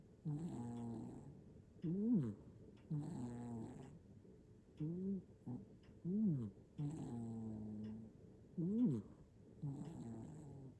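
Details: Snoring from Nana, a sound-asleep hachiware cat in Japan, iPhone 15 Pro Max recording; soft hummed exhales alternate with sharp chevron-shaped wheezing tones, breaths spaced irregularly with short quiet gaps.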